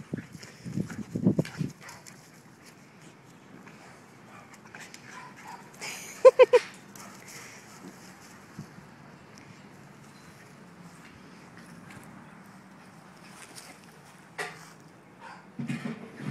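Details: Corgi puppies play fighting, including Norma, a puppy who likes rough play; low growls open and close the stretch, with a cluster of sharp yelps near the middle amid quiet scuffling.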